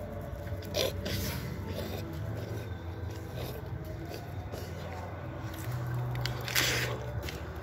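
A wild boar crunches and chews an apple, with wet bites and scattered cracks over a low hum.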